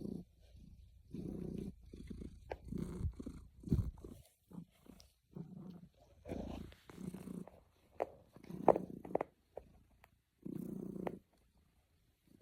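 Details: Snuggling, content domestic cat purring: low rumbling bursts broken by frequent gaps, uneven rhythm, with occasional sharp clicks or rustling.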